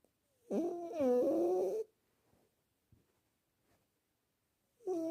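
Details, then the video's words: Sleeping male domestic cat snoring: a tonal, harmonic rasp that wavers for about a second and a half with each breath, then falls silent before the next breath begins near the end, in a quiet setting. "Кот спит и храпит"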